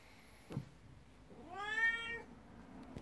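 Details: Morning at home: a 12-year-old black cat, jealous of a 19-year-old elder cat, seeks attention. A single drawn-out, bending meow follows a soft knock in a quiet indoor space.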